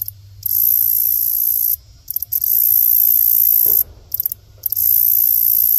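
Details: A grasshopper gives a mating call, a dry, high buzzing stridulation in long bursts broken by short pauses.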